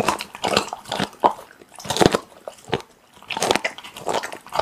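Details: Steady chewing by a pit bull on raw meat, with three clusters of crunchy, sticky bites separated by brief lulls.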